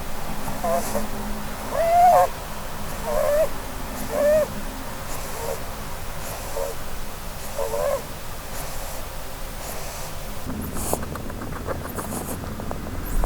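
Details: Blueberry, a female Holland Lop rabbit, asleep and dreaming under a Christmas tree, snores in short nasal whistles with soft breathy rushes, about one each second, before a scuffling clatter near the end.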